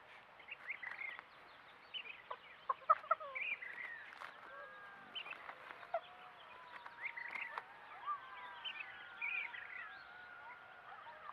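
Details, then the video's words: Play-fighting coyotes rough-housing, giving a busy stream of squeaky yips, short barks and sharp clicks, with several long, slowly falling whines toward the end. "Rough housing coyotes"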